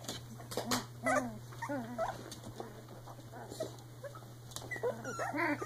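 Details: Playing Icelandic Sheepdog puppies, three weeks old, make a quick run of thin, wavering squeals and short whimpering growls, several overlapping, over a constant low hum and faint soft background noise.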